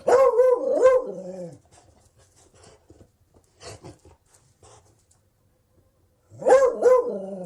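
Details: A Beagle lets out a loud pair of howling barks that bend up and down. A long quiet stretch with faint small noises follows, and then another strong, drawn-out bay.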